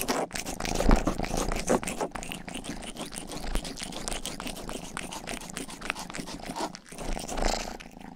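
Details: Rang-i, the household's youngest domestic cat, purrs while licking and grooming the ears of a binaural 3Dio microphone indoors; a steady low rumble runs under dense wet licking clicks and rasps, with brief louder swells.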